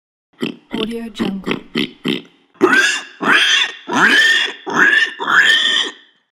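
A pig gives a quick run of short grunts, then several long, shrill squeals.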